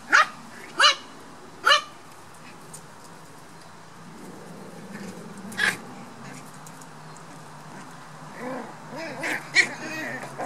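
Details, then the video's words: Toy poodle puppies, black, at play: three quick sharp yaps at the start, then quieter scuffling with soft growling and whimpering toward the end. "Lekande dvärg-toypudelvalpar. Playing poodle puppies."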